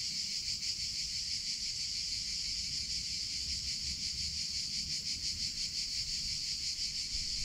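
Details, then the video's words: High, buzzing cicada song in summer, steady but with a gentle rapid pulsing swell in loudness, over a faint low rumble. "CICADA SOUNDS"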